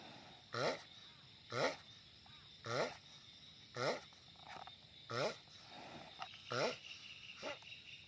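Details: A giant sulcata tortoise calls loudly, giving six short harmonic groans with a wavering, bent pitch, roughly one per second, then a softer call at the end; steady low hiss behind.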